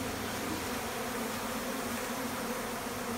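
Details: Honey bees buzzing together in a steady, dense, low drone that never pauses, during a honey harvest from a colony in a bathroom in Nepal.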